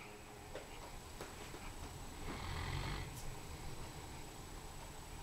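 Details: Saxon, a sleeping Komondor, snoring softly indoors: low, rumbling breaths with a louder, fuller snore swelling in the middle, against a quiet room hum.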